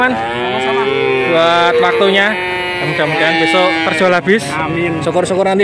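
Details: A chorus of male calves lowing at a livestock market in Grabag, Magelang regency, Indonesia. Several moos overlap densely, some wavering and some bending upward, in a busy, crowded soundscape.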